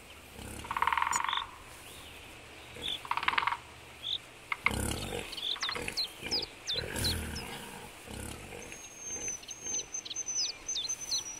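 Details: Wild boar, adults with young piglets, in Belovezhskaya Pushcha, Belarus, on 4 March 2014: two harsh, noisy squeals about two seconds apart, then rough grunting and rustling bursts, with high thin bird chirps and a whistled note near the end.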